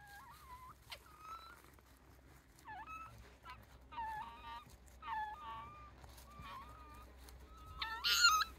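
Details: Wild Japanese raccoon dog (tanuki) pups, about eight in a family with their mother, give high, wavering whines and squeals in short bursts beside the Kushiro Marsh observatory walkway, Hokkaido, with people talking quietly.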